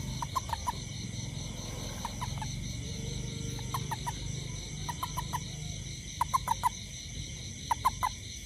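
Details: A great toad, out looking for ants after rain around a home, gives short, clucking pulses in quick bursts of two to four over a steady insect hum.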